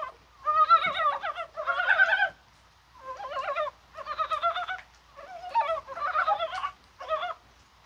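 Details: Rattling, guttural pulse trains from several Dybowski's brown frogs in a rainy, spring-like January 21 chorus, coming in bursts of about one second with brief pauses between them.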